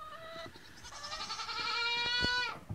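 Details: Nigerian Dwarf goat on day one giving a sustained nasal bleat of nearly two seconds, starting low, stepping up and holding steady before cutting off, with faint farmyard background noise.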